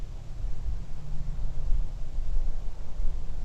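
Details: Deep, steady rumbles from distant African savanna elephants are heard and answered by a young female with a newborn, resting alone, who lifts her head with ears stiff on hearing the call.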